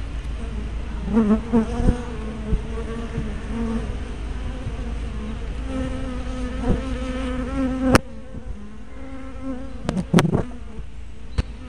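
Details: Honey bees at a hive entrance, filmed with a spy cam and fisheye lens: overlapping buzzing tones of many bees passing close, rising and falling as individuals fly in and out, with a few sharp clicks near the end.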